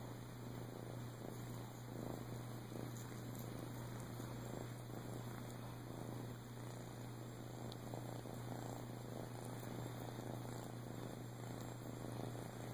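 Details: Boo, a flame tip Siamese rescue, male, dumped with his twin sister at a few weeks old and adopted in Clearwater, Florida, in 2014, produces an unbroken pulsing purr with light clicks, steady mains-like hum and high whine beneath.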